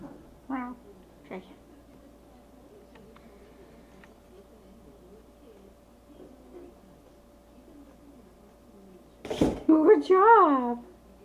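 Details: Slim, a pet cat, meowing inside a room around his first treat: a brief falling mew early, then a quiet stretch and a loud burst of arched, drawn-out meows near the end, mixed with a person talking.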